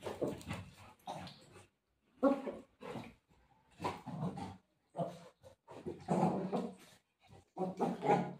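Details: A Golden Retriever playing rough with its mother gives a run of gruff, throaty growls in uneven bursts, about one every two seconds, with brief quiet breaks between them.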